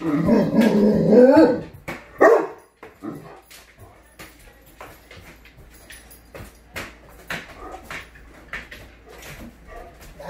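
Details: Excited Great Dane welcoming its owner home indoors: a loud, drawn-out whining woof lasting about two seconds, then a short yelp, followed by quieter soft whimpers and a scatter of sharp clicks.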